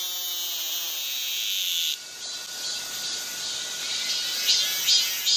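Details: Cicadas in midsummer on Galsan hill, Gocheok-dong, Seoul: a dense, steady high-pitched hiss that drops in strength after two seconds, then swells again with short louder pulses near the end.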